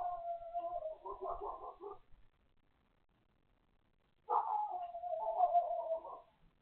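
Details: Dog next door barking once more: two long, wavering, howl-like barks about two seconds each, with a silent gap of roughly two seconds between them.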